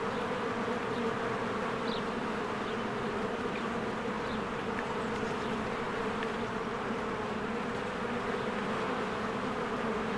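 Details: Swarms of honeybees flying around their hive among spring blossoms; constant layered buzzing with a steady hum, and a handful of faint, quick bird chirps heard above the drone.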